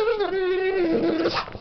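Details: Pet pit bull indoors, reacting to a dog on television: a sustained, wavering, whine-like tonal cry lasting over a second, drifting slightly lower in pitch, with rich overtones.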